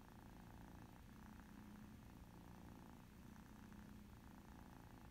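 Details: Former feral mama cat and her kittens, tabby and calico, at play with a mouse game on an iPad; brief, even low purring drone, softly pulsing, with no other clear sounds.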